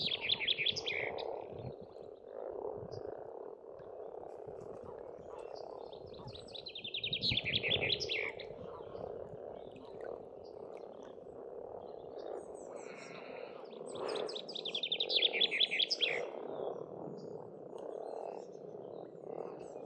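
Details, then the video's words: Frogs croaking in a continuous chorus at an Estonian pond in spring, with loud songbird trills bursting in around the start, near seven seconds, and again around fourteen to sixteen seconds. "Расслабляющее пение птиц и лягушек, весна, природа."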